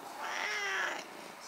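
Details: Nabi, a 10-year-old stray cat that followed its grandmother after she moved away, meows while talking with her: one drawn-out, tonal meow of under a second, steady then slightly falling, over quiet room background.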